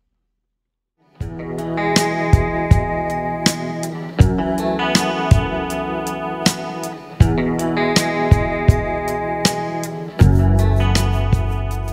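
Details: After a second of silence, plucked guitar music plays with sharp, regular strums and a steady beat; no animal voice is heard.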